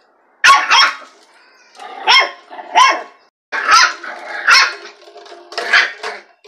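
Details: Dachshund facing off with and dominating another dog: sharp, high barks in short bursts, some doubled, about seven over six seconds with brief quiet gaps between volleys.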